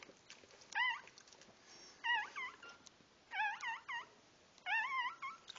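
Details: Newborn puppies at their birth, crying in a quiet indoor space: high, wavering, squealing whines come in four short bouts, each holding two or three rising-and-falling cries, with bouts about every one and a quarter seconds.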